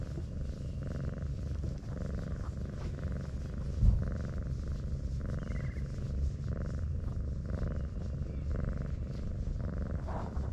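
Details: Purring from a brown tabby cat as it is petted and rolls itself into a ball like an armadillo: a continuous deep drone with regular rhythmic breathing pulses roughly every half second, and one brief knock.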